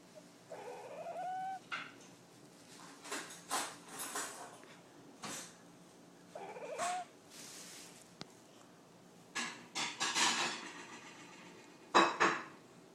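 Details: Spotty, a pet cat, talks to some birds with short rising, chirp-like meows in two bursts, each bending upward, mixed with clicks and soft ticking noises.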